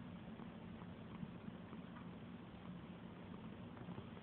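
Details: Petted house cat purring: a dense, low, vibrating drone continues without pause, with faint rustling from the stroking hand.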